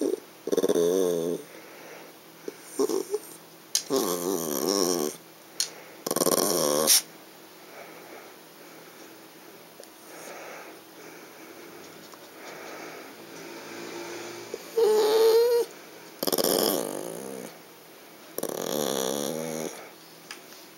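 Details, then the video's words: Yorkshire Terrier girl, frustrated at a visible treat she cannot reach in a clear box, grumbles again and again: short bursts of gravelly growling mixed with whiny, wavering moans, plus one higher rising whimper, separated by brief quiet gaps. "ヨーキーおやつとれへん不満,怒 Yorkie Complain "Can't Eat!""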